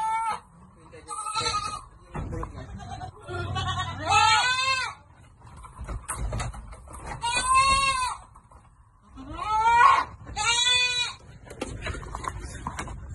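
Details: Farm goats being given vitamins at Amang Victorio Goat farm, bleating repeatedly: about five loud, trembling, nasal cries spread across the span, some rising then falling, amid people talking nearby.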